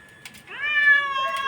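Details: Pet cat demanding food from its owner out of hunger: a loud, clear meow that starts rising, then holds a long even tone with strong harmonics. A short click comes just before.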